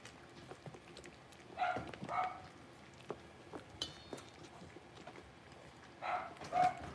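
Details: A litter of five blenheim Cavalier King Charles Spaniel puppies, six weeks old, kept in a home puppy pen; quick paired yelps come twice, each pair about half a second apart, over soft rustling and tapping.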